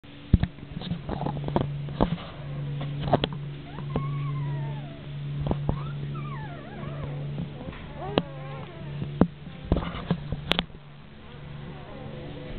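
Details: Rhodesian Ridgeback puppies, nine days old, drinking milk: scattered high, wavering whines and squeaks rising and falling in pitch, with a steady low hum and sharp clicks and knocks throughout.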